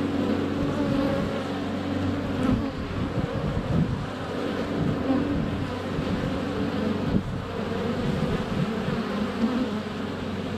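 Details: Honey bees at the hive entrance in February sun, recorded on a GoPro Hero 7 Black under a foot away with bees in flight all around. A steady, deep, many-layered buzz, with occasional soft knocks of bees touching the camera.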